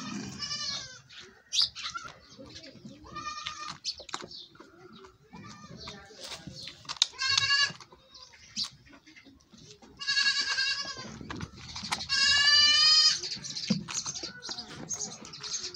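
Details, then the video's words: Goat at milking time calls again and again with wavering, buzzy bleats, some brief and others drawn out over a second, amid quiet background movement and occasional human voice. "cute moments of goat milking"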